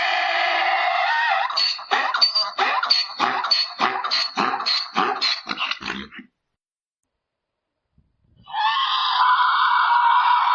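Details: Braying mule: a long, strained, nasal tone gives way to a rapid run of rhythmic, rasping hee-haw pulses, then silence and another loud, sustained, harsh drawn-out note.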